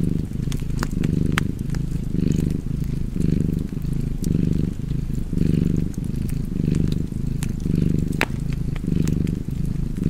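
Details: Cat purring steadily by a fireplace: a low, rumbling hum that swells and fades with each breath, about once a second, under sharp crackles and pops from burning wood.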